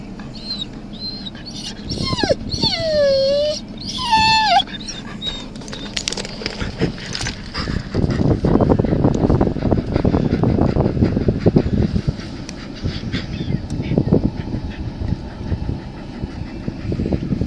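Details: An Alaskan Malamute in Hutchinson, Kansas, gives a few drawn-out, wavering whine-howls that swoop downward, followed by rustling noise.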